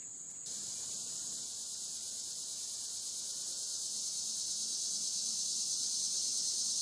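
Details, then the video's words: Cicadas recorded overnight from dusk to dawn on the Licking River at Morning View: a steady, dense high-pitched insect drone that starts abruptly and swells slowly, pulsing about three times a second. "Cicada to Cicada - a 12 hour accoustical journey on the Licking River"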